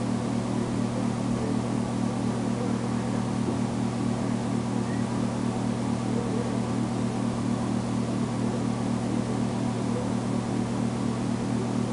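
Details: Steady mechanical hum with a constant low drone and even background hiss throughout, no animal calls heard.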